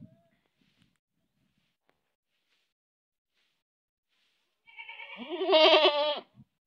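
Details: Single goat bleat recorded in Manpur village, coming after several seconds of near silence: a rising, loud, tremulous baa with a vibrating, nasal quality, ending abruptly, followed by a faint click.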